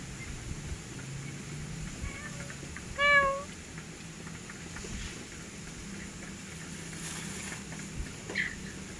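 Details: Grey domestic pet cat giving a faint short call followed by one clear, brief meow with strong overtones, against a steady low hum and quiet room noise.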